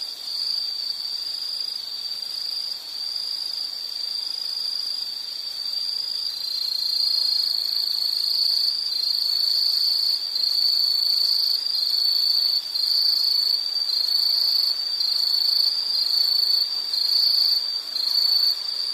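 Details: Continuous shrill insect trilling at a constant high pitch, joined by fainter, even higher chirping insect voices that grow louder after the first few seconds; no other sounds stand out.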